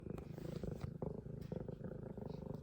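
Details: F2 Savannah cat, a pet, purring very loudly: a steady, deep rumbling throb with rapid regular pulses, broken by brief soft clicks near the start and middle.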